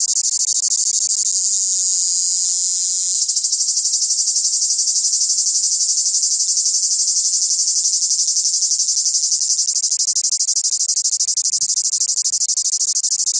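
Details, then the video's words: Cicadas in the south: a piercing, continuous high buzz that thickens and grows steadier after the first few seconds, with a fine rapid flutter throughout and faint low sliding tones beneath. "Le chant des cigales c est ca le sud"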